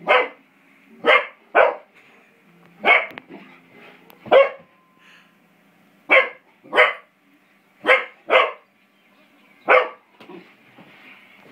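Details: Beau the English Springer Spaniel, five months old, barks excitedly while playing with a door spring: a dozen loud, abrupt barks, often in close pairs, spaced irregularly less than a second to two seconds apart.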